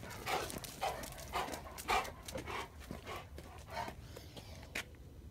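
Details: Two Rottweilers, a male and a female, barking in alarm while guarding after a person walked by indoors; a run of short, harsh barks roughly every half second, fading to a few scattered ones before a pause.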